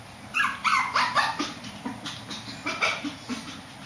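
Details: A Shih Tzu barking upstairs produces quick, repeated high-pitched yaps, roughly three or four a second, which fade slightly in loudness toward the end.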